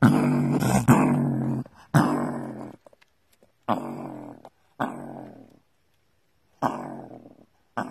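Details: Gray fox in its burrow, described as ferocious: harsh, broadband growling snarls in bursts of about a second, separated by short silences, sounding close and enclosed.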